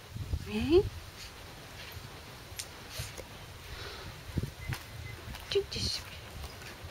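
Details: Male Corgi puppies aged 44 days, filmed 29 April 2013 at a kennel, give brief, rising squeaky whines over soft rustling and faint background voices.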